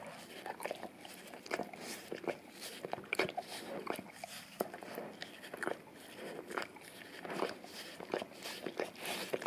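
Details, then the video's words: A male English cream golden retriever works at an Orapup brush covered in peanut butter, taped to a tile floor indoors, cleaning his tongue; moist slurping licks and smacks in uneven bursts, some louder sticky pops. "Dog Licking Orapup Tongue Cleaning Brush Taped Down to the Tile Floor - Golden Retriever"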